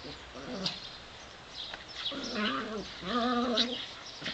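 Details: Two pet dogs, Davey and Brodie, aged 7 and 8, playing together in a sunny back yard; wavering, whine-like harmonic cries come in two drawn-out bursts near the middle, over a low background hiss.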